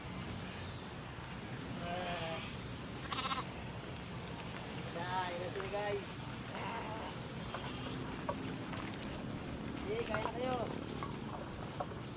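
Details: Sheep being fed by a person, giving several wavering, nasal bleats at irregular intervals, some short and some drawn out, while a man speaks in Filipino urging them to eat; steady background noise and faint high chirps throughout.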